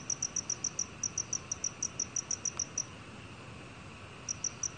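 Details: Black cricket calling: a fast run of short, clean, high chirps, about six per second, stops near three seconds, then resumes with a few more pulses after a quiet gap, over a faint steady hiss.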